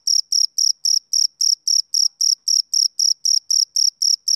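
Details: Male cricket chirping on a summer evening: a steady run of short, bright, high trills repeated about four times a second, evenly spaced, with no other sounds.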